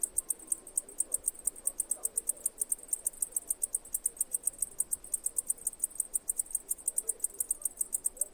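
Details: Insistent high, pulsing chirps of a cicada, repeated quickly and evenly, near six per second, over a soft murmur of low background sound.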